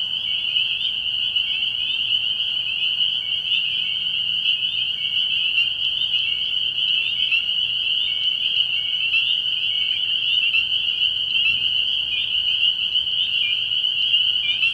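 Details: Many spring peepers at a frog pond at night, early in the year, keep up a steady, high, ringing chorus of overlapping peeps, slightly softer and even throughout, with faint low background rumble.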